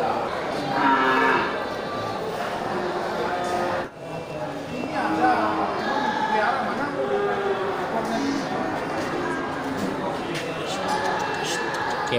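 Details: Striped water buffalo of an Indian breed at an animal market in Bireuen, recorded 21 November 2020; deep drawn-out lowing calls rise over a steady crowd murmur and market bustle, with voices heard throughout.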